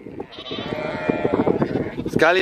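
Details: Sheep and two-week-old lambs worked by Border Collies and a Kelpie; one long, steady, nasal bleat held for about two seconds, ending in a quavering wobble as a second call starts.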